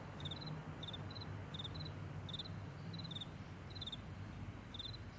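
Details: Morning meadow crickets chirp in brief high double pulses, grouped in bursts roughly every half second, with a constant low hum underneath.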